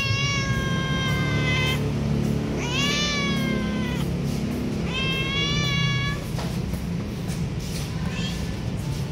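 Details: A roadside cat begging for food, meowing at a passer-by on an empty road to be given a treat. Four loud, drawn-out harmonic meows, some rising then falling, over steady low background hum and faint music.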